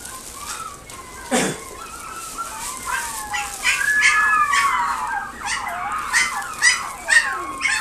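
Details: Pekingese kept at a pet shop in Nagoya, Japan, giving a run of tonal whines and squeaks with falling and rising slides, several per second toward the end, against steady background noise.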